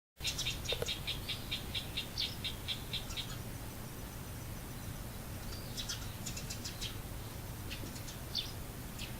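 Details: Frogs chorusing in a garden on 10 October 2014, just after 11:00, giving high, rapid pulsed trains repeated in bursts, with other callers overlapping later and a steady low hum beneath.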